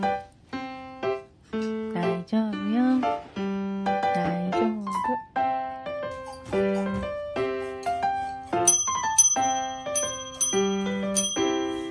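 Cheerful keyboard music with sustained notes and short melodic runs; no animal sound is heard.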